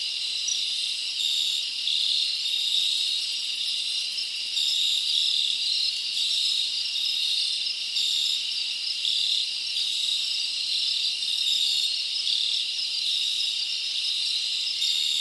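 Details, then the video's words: Crickets chirping at night in summer forest, a constant high-pitched, ringing chorus of overlapping trills with faint rhythmic pulses and soft waves of louder buzzing. "Live Crickets Natural Sound"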